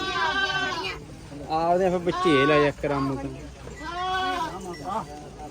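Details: Goat bleats at a livestock market in Mullanpur: two strong tremulous, nasal cries with a shaky vibrato, the first longer, over steady male voices and crowd chatter.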